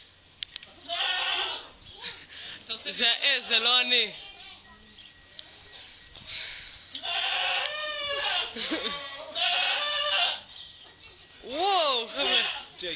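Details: Goat making weird, funny sounds: drawn-out, wavering, quavering bleats near the start, middle and end, with people talking over much of the recording.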